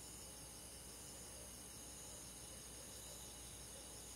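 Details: Crickets with other forest insects, heard in the countryside on a summer night, trill in a quiet, seamless high chorus that holds the same even pitch throughout, with a low hiss behind it.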